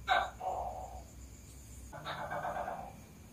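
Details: A tokay gecko, said to be laying eggs, calls with two harsh, throaty croaking notes about two seconds apart, each starting with a sharp click; close and slightly echoey, as if indoors.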